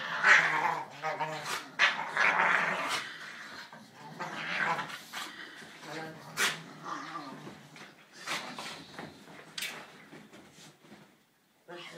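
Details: Two young Staffordshire Bull Terrier pups play together, growling, yipping and whining in bursts.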